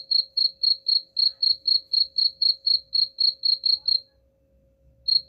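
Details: Cricket chirping intended to chase rats away. About fifteen even, high pulses come about four per second, then silence for nearly a second before the chirping starts again.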